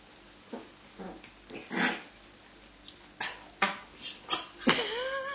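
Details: Two young Cava Tzu puppies, sisters, playing together: scattered short gruff growls and soft yelps, then a rising whiny yelp near the end, with quiet pauses between bursts.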